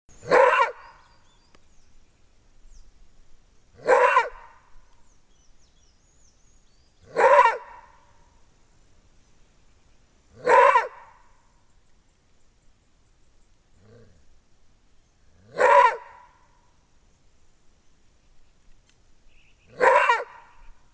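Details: A maned wolf caught on a trail camera gives loud, hoarse single roar-barks, spaced about every three to four seconds.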